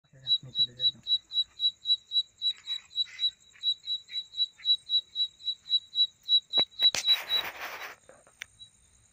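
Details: Insect calling at night, described as a mating sound: short tonal chirps near one high pitch repeated about four times a second in a steady train, a continuous faint high shimmer behind, and a burst of rustling noise near the end.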